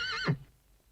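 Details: Short end of a horse's whinny: a trembling high-pitched quaver sliding steeply down to a brief low grunt, followed by near silence.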